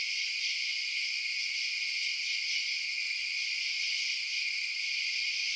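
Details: A nighttime cricket chorus: seamless high-pitched chirping trills running without break, bright and even, with a single short faint click about two seconds in.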